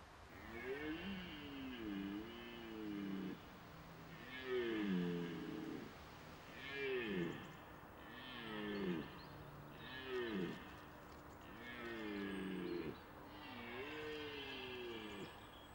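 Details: Red deer stag roaring during the autumn rut, the mating season beginning late September when males seek the hinds' attention; deep, groaning, harmonic roars that dip and swoop, about seven repeated every two seconds, over a faint background hiss.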